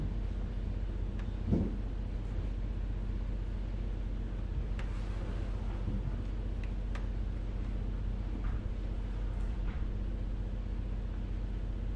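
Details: Low steady indoor hum with distant vehicle rumble, a few faint knocks and clicks, and no animal voice.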